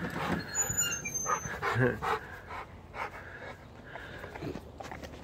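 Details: A Rottweiler trying to bite a wagon tire growls and huffs in rough, breathy bursts, with scuffling noises around it.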